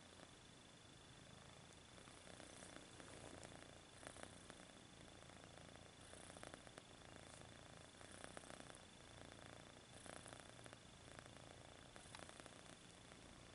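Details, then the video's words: Kitten purring while stretching its paws indoors, a soft, steady, low rumbling purr running continuously with faint rhythmic pulses and light rustling. "Kitten Purrs and Stretches His Paws"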